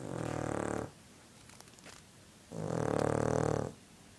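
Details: Snoring from a sleeping dog: two grating, harmonic snores, the second louder and longer, separated by a pause of under two seconds.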